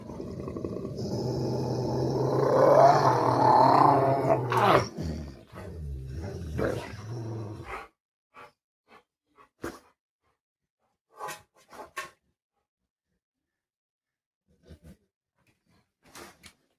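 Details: Two Rottweilers fighting each other indoors; a dense, low rumbling growl with snarling texture runs continuously for about eight seconds, rising and fading, then falls silent except for scattered short thumps and clicks.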